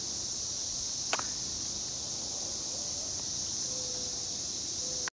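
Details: Brood XIX periodical cicadas fill the air with a steady, high, hissing drone that never lets up, recorded at Frontenac, Kansas, on June 10, 2011.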